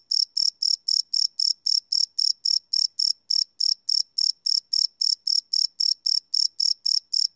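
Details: Crickets chirping at night, recorded live without loops on a Sony PCM D100 field recorder; bright high pulses repeat steadily about four times a second in an even train, with no other sounds.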